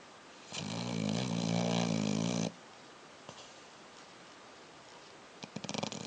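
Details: Sleeping dog giving one long, harsh, rattling snore of about two seconds, followed by quiet hissing and a few faint clicks near the end.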